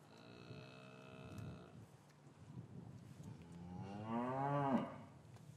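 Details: Cows in an English cattle yard on a winter's afternoon, with calves separated from their mothers. A faint, steady distant tone opens, then a nearer moo swells upward and breaks off sharply, over a low murmur of yard movement.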